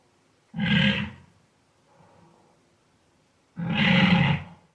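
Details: Wild boar making two loud, coarse grunts about three seconds apart, deep and gravelly with a brief faint rumble between them, no other sounds present.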